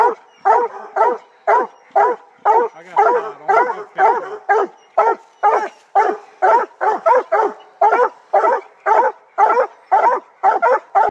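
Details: Black and Tan Coonhound at the tree, barking in a rapid, even chop of roughly two barks per second, each bark short, harsh and dropping slightly in pitch, continuing without pause.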